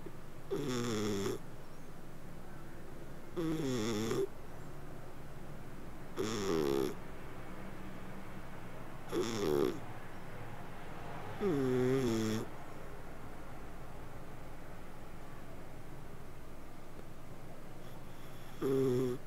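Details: Domestic cat purring and snoring while asleep: a soft continuous low rumble broken by regular tonal, wavering snore breaths roughly every three seconds, seven in all, in a quiet room.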